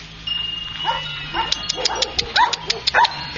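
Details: Chinese Shar Pei puppy offered for sale, giving a run of short, sharp yips and small barks that rise and fall in pitch, several per second in the latter half, over a faint steady high tone and light clicking.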